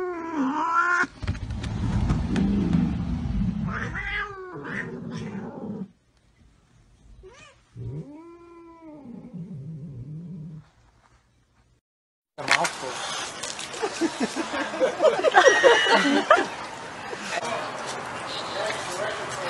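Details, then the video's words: Pet cat in a funny-cat compilation giving several arched, nasal meows and drawn-out caterwauling between bursts of noise, a quiet gap, then a long stretch of loud rough broadband commotion. "MEOW MEOW CATS LİFE"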